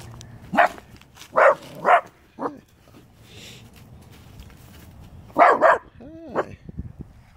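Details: A small female dog belonging to a neighbour barks at people coming and going from a house, giving short, sharp barks in pairs with pauses between, and a person briefly calls out.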